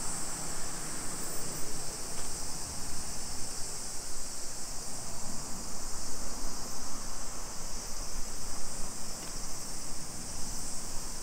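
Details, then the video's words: A constant high-pitched cicada drone fills a summer street in Nisshin city, Aichi Prefecture, Japan, at 2 PM on 28 July 2021. Faint brief higher chirps come early on, and low rumble from walking runs throughout. "Summer Cicadas Sounds"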